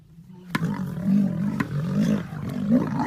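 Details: Several lions on a riverbank after finding a crocodile, giving deep rumbling growls that swell and fade in short pulses over about three seconds, with a few sharp clicks between them.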